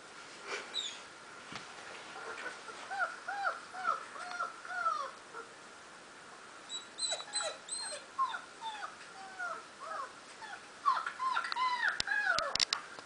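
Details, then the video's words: German Shepherd, four months old, responding to a recording of German Shepherd puppies: repeated high whining yelps in bursts, each note arching and falling, quick clusters separated by short pauses, with a couple of sharp clicks near the end. "German shepherd's reaction when listening to german shepherd puppies!"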